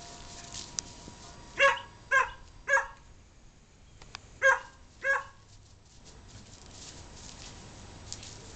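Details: Cody, a pet dog who always barks when playing with his housemate Dylan, gives a burst of three sharp barks, a short pause, then two more, each bark short and punchy over a quiet indoor background hum.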